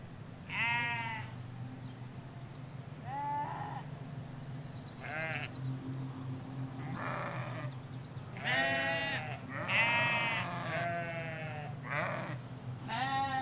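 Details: Ewes and lambs in a Hampshire countryside field, recorded in stereo from a hedge line: about eight wavering, harmonic bleats, some overlapping from different animals, over a steady low rumble.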